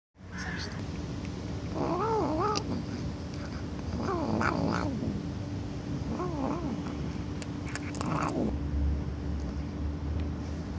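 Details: Cat giving a string of four wobbling, moaning meows spaced about two seconds apart, each warbling up and down in pitch, with a constant low hum and occasional clicks underneath.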